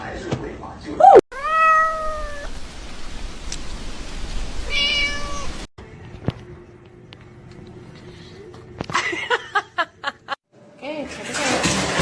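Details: Domestic cat in a compilation of funny cat moments, giving two drawn-out meows with rising then falling tone, a harmonic-rich cry near one second and a shorter one around five seconds, with clicks, rustling and faint background noise.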